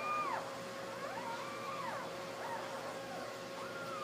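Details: Newborn Basset Hound puppies, one day old, lying with their mother; thin high whining cries that rise and fall in smooth arcs, several overlapping over a steady hum in the background.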